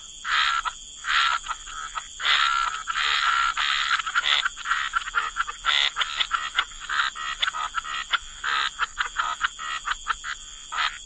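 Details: Croaking frogs in a wetland chorus, rasping calls in longer bursts early on, then quicker short croaks packed closely together toward the end, with a constant thin high whine in the background.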